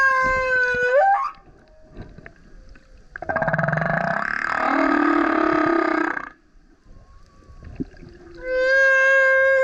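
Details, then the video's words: Male humpback whale singing very loudly while surfacing repeatedly beside a kayak: a rising harmonic whoop, then a broad grinding roar lasting about three seconds, a quiet gap, and another bright upswept moaning cry. "Singing Whale is LOUD - BURPS, GRUNTS, HOWLS + ROARS! Listen as he comes up singing next to kayak"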